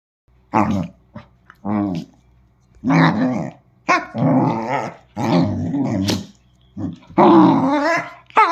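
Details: Dachshund growling in short rumbling bursts, each about a second long and separated by brief silences, some rising into snarly, higher-pitched tones, indoors.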